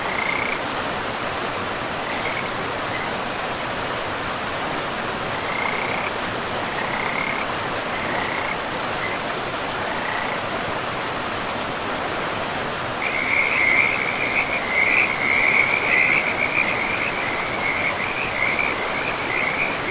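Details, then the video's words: Scattered short frog trills by a forest river at first, a few seconds apart, then from about thirteen seconds a louder, nearly continuous rattling chorus of croaks, all under steady river hiss. "River and Frogs sleep sounds"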